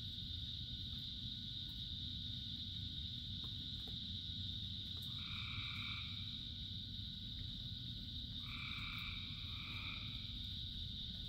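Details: Many frogs singing through rainfall: a continuous high chorus hum under steady rain, then two separate bouts of lower, buzzy croaks, each lasting about a second or two, in the second half.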